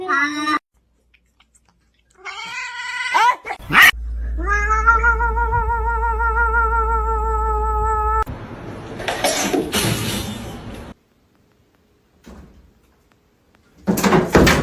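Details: Kitten crying and meowing: a few short rising meows, then one long, drawn-out, wavering wail of about four seconds over a low steady hum, followed by scraping and rustling noises and a final burst of noise.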